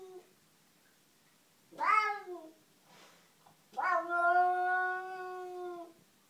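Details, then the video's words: Cat Nikita, who dislikes an unwelcome cat in the garden, voices two drawn-out, wailing cries about two seconds apart: a falling, harmonic-rich yowl, then a longer, steady moaning tone held for two seconds; a faint brief sound between them. "Unwelcome cat in the garden"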